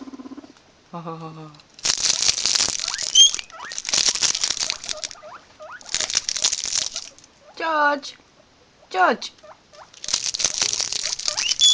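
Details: Guinea pigs giving short, rising squeaks and a few wavering whistled calls between loud bursts of rustling, like hay or paper being shuffled.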